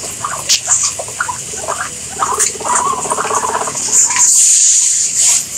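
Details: Guinea pigs calling: repeated high squeaking and chirping notes with a short stretch of rapid pulsed chatter in the middle, plus a thin high whistling tone toward the end.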